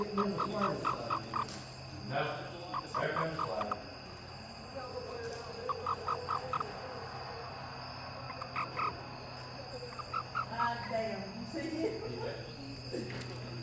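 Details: Toad calling with bursts of four to five short, evenly spaced tonal pips, each burst separated by pauses of a second or more, repeated throughout over constant low hum and hiss.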